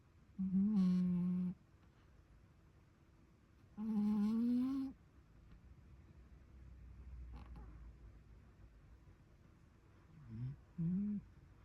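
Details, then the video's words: Cat asleep and snoring, giving steady hummed tones of about a second, the second rising slightly at its end, with a long quiet gap before a shorter, softer double snore. "Snoring cat"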